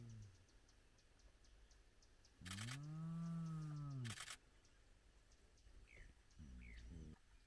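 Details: Spotted hyena from a large clan gathered at its den with active cubs at sunrise; one long rising-falling whoop, harmonic and mid-low, lasting nearly two seconds, followed by shorter low calls and faint higher chirps.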